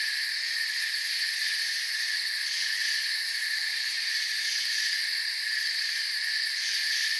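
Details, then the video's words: Crickets chirp softly beneath a forest canopy at night, producing a continuous layered trill of high tones that holds steady from start to finish, with no other sounds. "Forest Sounds and Crickets"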